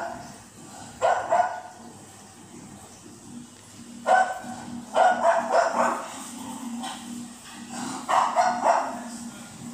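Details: Cocker Spaniel puppy, a she, reacting to television with bursts of rapid barks and yips, some clustered in quick runs, over background TV sound and a low steady hum.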